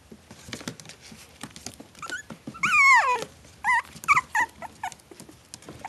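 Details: Maltese Shih Tzu cross puppies, a litter four weeks old; one loud, long quavering whine that slides downward, then a run of shorter yelping whimpers, with light scratching and pattering between.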